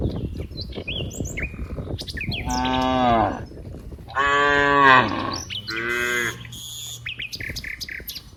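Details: Dozens of cows roam green rice fields, playing with one another. Three rich, drawn-out moos in close succession, each slightly falling at the end, with birds chirping throughout.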